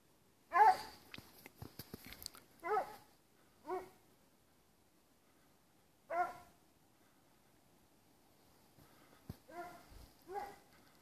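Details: A Plott Hound on a wild boar trail during a hunt barks in short, harsh bursts, one strong bark followed by spaced single barks and a closing cluster of three, with clicks and rustling between.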